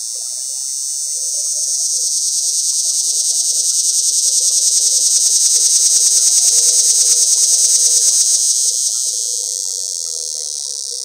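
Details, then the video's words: Cicada calling from high in a pear tree, mating call: an intense sustained buzz that swells louder in the middle and fades near the end, with rapid regular pulses; a man briefly says a few words afterward. "Cicada Mating Calls"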